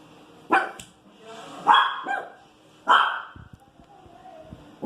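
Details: Pinscher bitch reacting to street noise with a few loud, high barks and a whiny rising call, separated by pauses, over low background sound and speech.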